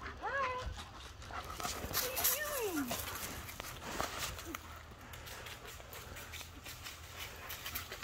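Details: Worried dog missing its owner lets out a short falling whine, then a longer descending cry, with people talking and rustling nearby.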